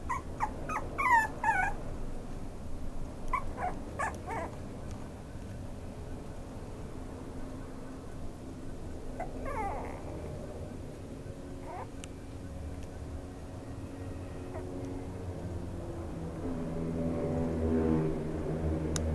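A small Maltese-Chihuahua mix makes thin, high-pitched whimpers and little rising yips in quick bursts, then pauses between them. A low, steady indoor hum runs underneath, and a softer, lower voice-like sound comes near the end.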